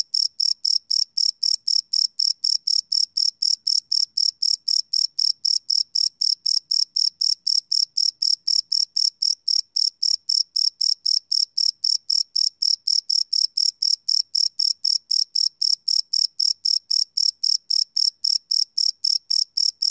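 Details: Several crickets at night, recorded live with no loops on a Sony PCM D100 field recorder, give a continuous, metronome-like series of high rasping chirps, about four per second, sustained evenly for the whole stretch.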